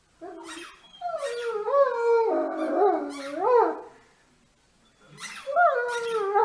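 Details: Great Dane giving drawn-out, wavering howls and whines that rise and fall in pitch, a long moaning phrase in the middle, then a pause and two more yelping cries rolling into another whine.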